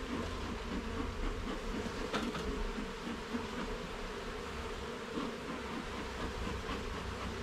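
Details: Honey bees at a garden hive during an inspection of its levels and frames: a steady, dense droning hum with layered low tones, a deep rumble underneath, and faint clicks from handling.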